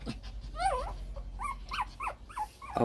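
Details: Shih Tzu puppies, part of a newly born litter in 2014 watched by the father and mother, giving a run of six short high squeals, each rising then falling, about every third of a second.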